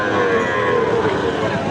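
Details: Gir-breed bull calf at Ambari Haat cattle market, a twice-weekly Friday and Monday market: soft, sustained low moo, fairly level in pitch, half-buried in the crowd murmur of the busy market.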